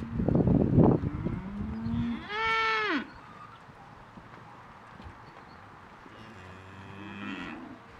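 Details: Vendor-bred Angus Cross and Hereford Cross heifers, pregnancy tested empty, offered at auction. A rough, noisy low burst comes first, then one loud harmonic moo that holds and falls away over about a second. A fainter, more distant moo follows near the end.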